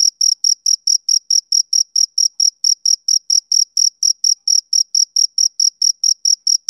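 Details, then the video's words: A male cricket calls on a summer evening with a rhythmic series of sharp, piercing chirps, close to four per second, each clean and equally loud, and nothing else audible. "Cricket Chirping Sound Effect"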